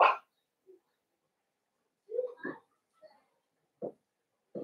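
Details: Blenheim Cavalier King Charles Spaniel puppies, one of a litter of five born at New Year's, in an indoor puppy pen: a sharp bark, then scattered short yelps and whimpers separated by quiet gaps.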